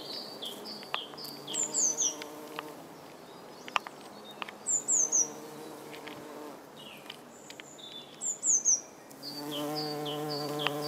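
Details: Red-tailed bumblebee (Bombus lapidarius) in flight, feeding on nectar at yellow Berberis darwinii flowers; low droning buzz rises and fades in bursts of a few seconds, while small birds chirp and twitter in quick high phrases throughout.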